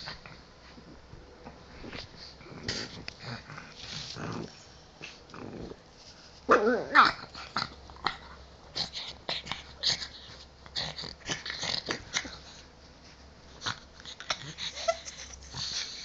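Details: A pet pug being silly in bed, playing with his ball: irregular snuffling snorts and grunts, a louder growling burst midway, then more short huffs and sniffs scattered through.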